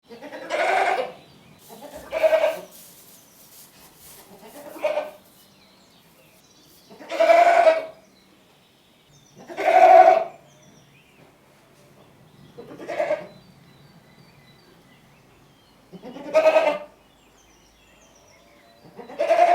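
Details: Goat (Capra hircus), bleat.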